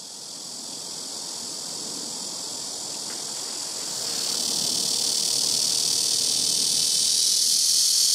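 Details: Blackish cicada calling from trees by a house rooftop, several insects taking turns between trees, very loud: a dense, hissing high-pitched drone that swells noticeably louder about halfway through and then holds steady.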